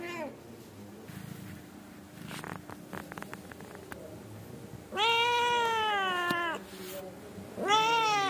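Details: Angora mother cat scolding her kittens to settle down and sleep: scattered taps and rustles, then a loud sustained meow of nearly two seconds and a second meow starting at the close.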